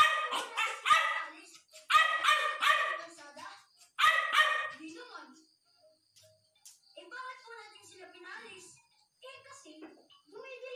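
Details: Hungry puppy giving a run of loud, harmonic yelping barks in quick bursts during the first five seconds, then quieter, broken whines and whimpers; a steady high tone sounds in the background.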